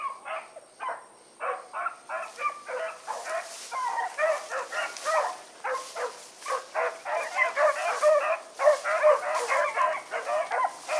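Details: Pack of hunting dogs, Choco, Dino, Johnny Ringo and Mingo, on an evening run on 16 August 2014, giving rapid, overlapping barks and yips in a steady stream, several voices at once, with a faint high electrical whine.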